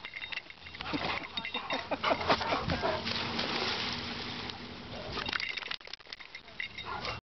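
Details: Two dogs, English Mastiff Dozer and Boxer Bo, playing together at a dog park: rough, noisy growls and snorting huffs in uneven bursts, with scuffling and human voices in the background.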